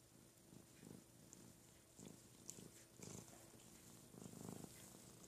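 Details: Domestic cat Ruby, a female, purring while her big 'brother' Lugosi grooms and washes her indoors; low rumbling purr in pulsing bursts about every half second to second, with soft rustling and licking sounds.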